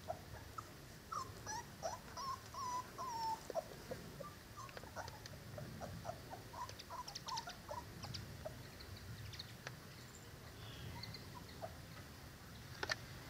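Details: Cane Corso puppies from Zola and Ziko, nearly five weeks old, heard as a litter giving short, thin squeaking whimpers scattered through the recording, some slightly rising or falling, over a low background rumble.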